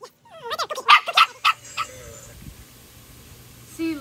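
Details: Dog obsessed with a squirrel, August 2022, whining and yelping in a quick run of squeaky rising calls, then quieter, with a final high whine at the end.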